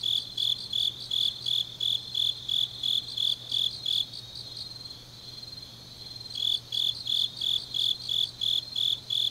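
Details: Grass insects calling late on an autumn night in Changnyeong, Korea: rapid high chirps about three a second, pausing for roughly two seconds midway before resuming, faint low hum throughout.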